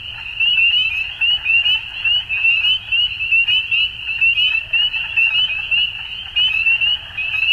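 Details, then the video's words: Dusk frog chorus, a continuous high-pitched shimmer of many overlapping trilled calls, swelling and easing in short bursts roughly every second over a soft low background hum. "Frogs At Dusk"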